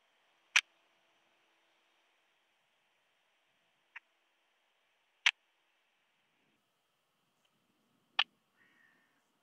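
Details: Striped bush-cricket (Gestreifte Zartschrecke) at Hansag, Austria, 21 July 2021, made audible by a Pettersson D 100 ultrasound detector: four brief, sharp click-like syllables spaced roughly one and a half to three and a half seconds apart, over a faint steady hiss.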